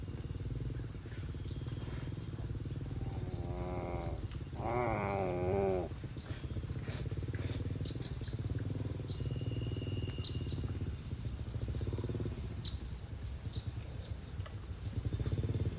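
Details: A herd of farm cattle grazing in a green field. Two drawn-out, harmonically rich moos rise and fall around the fourth and fifth seconds. A steady low rumble fills the background, with faint high chirps scattered throughout.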